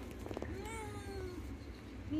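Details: Mother cat with her kittens, indoors: a drawn-out harmonic meow that rises then slowly falls over about a second, with a woman speaking softly just before and a steady low hum underneath.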